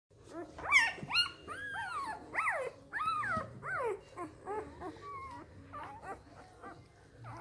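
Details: Three-day-old Samoyed puppies from a litter: high squeaky whines and squeals, arched rising-falling notes in rapid overlapping bursts, loudest in the first three seconds and then fading to softer, shorter squeaks.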